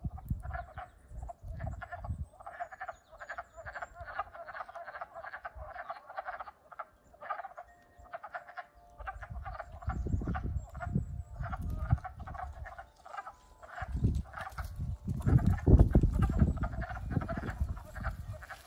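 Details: Spring chorus of wood frogs that have just woken up, recorded April 7, 2020, at Frog Moon Hollow, Middlesex, Vermont; dense overlapping duck-like clucking croaks run continuously, with bursts of low rumbling noise underneath.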